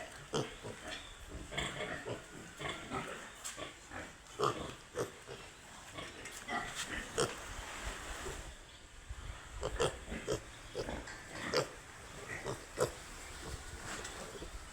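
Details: Piglets on a pig farm giving short, broadband grunts and squeals, scattered irregularly through the recording, some rapid bursts, over a steady background hiss.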